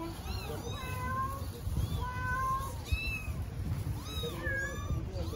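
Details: Street kittens in Istanbul, hungry and calling for their mother cat, give many clear, high, arched meows, several voices overlapping and repeating about once a second, over low city hum.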